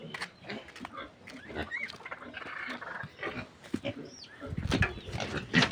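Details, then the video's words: Piglets of a pure native sow, separated from their mother at weaning, make a busy mix of grunts and brief higher squeals about once a second, with human voices mixed in and a louder burst near the end. "Heto yung pagwawalay ko sa mga biik ng pure native na inahing baboy"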